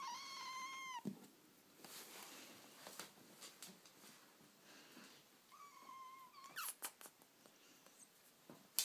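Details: British Shorthair kittens, 11 weeks old, give thin, high-pitched mews, one at the start and another near the end.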